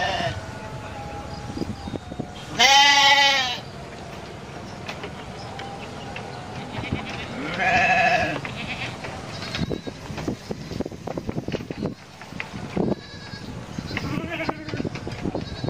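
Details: Domestic goat bleating twice, a loud harmonic bleat near three seconds and a shorter one near eight seconds, over busy background noise with clicks and faint other voices.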